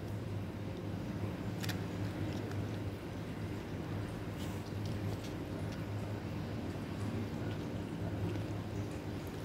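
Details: Steady low engine-like hum and rumble fills the recording, broken by a few faint clicks and knocks.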